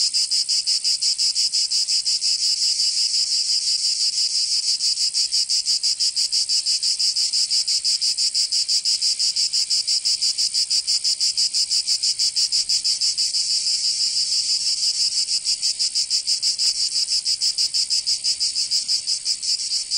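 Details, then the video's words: Summer cicada chorus from Provence in southern France, a loud shrill rasping drone made of quick regular pulses, roughly three per second, continuing without pause; nothing else audible. "Canto Cigarra 🦗 [ Escuchar les cigarras en verano 10 H]"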